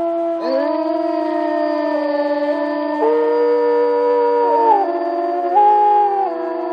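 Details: Wolves howling in a forest, several long, steady, overlapping tones held at different pitches that shift in sudden steps rather than gliding, forming a dense, eerie chorus with no other sounds.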